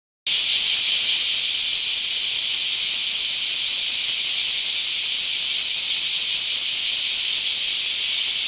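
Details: Bear cicadas in mass emergence at a park in Akashi, Japan: after a brief silence, a dense, loud, continuous buzzing chorus sets in, high and hissing, with faint rapid pulsing throughout.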